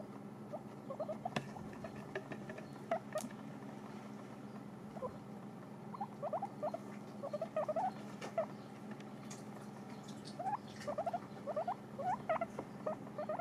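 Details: Guinea pigs kept as pets nibble dried apples, giving rapid bursts of tiny crunching ticks that come in clumps every second or two, separated by quieter pauses over a constant low hum.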